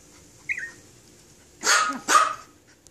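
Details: Tiny Toy Poodles fighting, giving two short, sharp, noisy barks close together after a faint high squeak, with little else audible.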